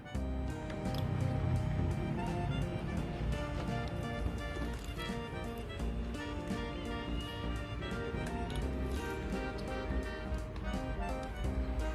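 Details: Upbeat background music plays continuously, with no clear animal sound audible.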